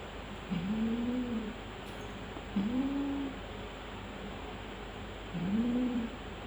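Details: Persian doll face cats, a female and her mate, in Gujranwala: three low, drawn-out moaning growls, each about a second long and gently rising then level, separated by quiet pauses over a steady background hum.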